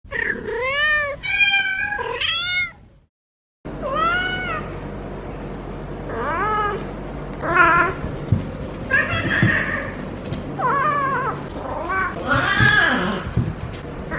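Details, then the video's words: Feral female cat in her first heat cycle, rolling while being petted at the base of the tail, gives loud drawn-out caterwauls: wavering harmonic yowls rising and falling, several in a row after a brief silence, with some background noise. "Feral Cat in HEAT makes UNBELIEVABLE Noises!"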